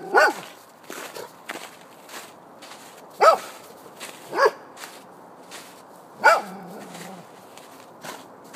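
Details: A Golden Retriever barks at a snowman, giving loud, clipped single barks separated by pauses of one to three seconds, with quiet crunching footsteps and shuffling between barks.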